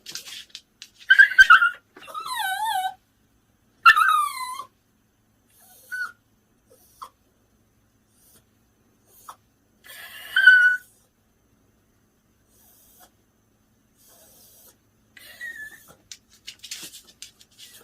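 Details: Mongchi, a pet Bichon Frise, reacts to favourite stuffed toys that were secretly washed and hung where he can see them. He gives high, wavering whimpers and whines in short bursts, with quiet pauses between them.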